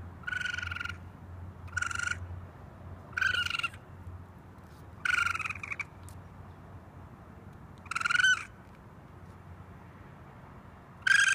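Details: Young raccoon calling for its mother from a rooftop, giving six short, shrill, buzzy screams spaced irregularly, roughly every one and a half to three seconds, with a faint low rumble underneath.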